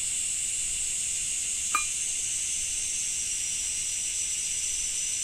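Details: Japanese summer cicadas keep up a continuous, even, shrill hiss-like buzz throughout. A single brief sharp tap sounds near the middle.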